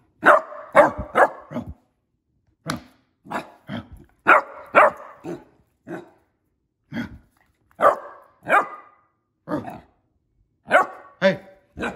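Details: Millie, a female Basset Hound puppy, plays and acts tough, giving bursts of short, rough barks, often in quick pairs or triplets, with brief pauses between bursts.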